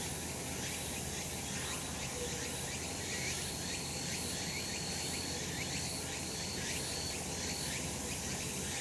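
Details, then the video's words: Sunlit summer mountain with cicadas droning: thick, steady high buzz from many callers, gently wavering, plus a brief faint whistled tone partway through and a low ambient rumble. "セミの鳴き声 夏の山 日なた"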